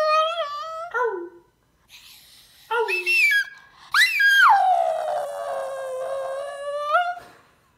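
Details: Crestepoo Splinter, a Chinese Crested Poodle mix, howls in a string of rich harmonic wails indoors. Short rising and falling notes lead into one long sustained howl that swoops down and holds steady before ending on a brief upturn.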